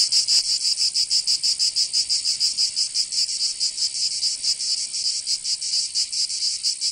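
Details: Cicadas singing in summer in Provence, southern France: a dense, loud, high buzzing chorus pulsing rapidly and steadily, several pulses each second, with no other sounds.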